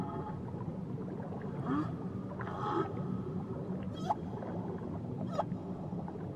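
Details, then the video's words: Whale singing off Tahiti: short harmonic cries and a few quick upward-sweeping squeals spaced a second or so apart, set against a dense low underwater rumble. "Nature Sounds Only Whales"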